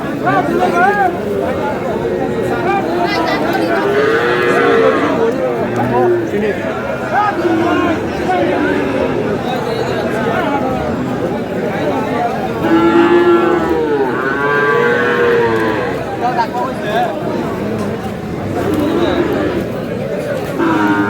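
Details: Sahiwal cattle at a cattle market in Kurigram on 5 May, a Sahiwal bull among them; deep, drawn-out moos rise and fall at intervals, several overlapping over steady crowd chatter and bargaining voices.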